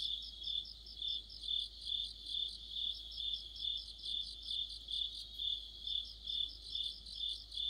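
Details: Cricket chorus in autumn under a streetlight, other insects joining in. Rhythmic high chirps come slightly more than twice a second, backed by a shimmering band of quicker, thinner pulses.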